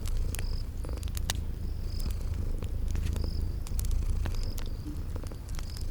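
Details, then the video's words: Sleeping kitties purring in a cozy spring garden ambience by a crackling fireplace: a steady, deep rumbling purr runs throughout, with sharp fire crackles and pops and short high cricket chirps repeating roughly every second. "Relax with Cute Sleeping Purring Kitties"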